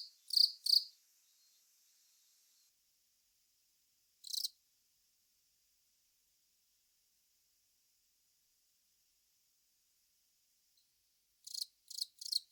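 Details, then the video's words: Long-snouted cricket Velarifictous aspersus giving sparse high buzzy chirps: a pair at the start, a lone chirp after a few seconds, then a long silence before a run of three faint rasping chirps at the end. "くちの長ーい クチナガコオロギの鳴き声"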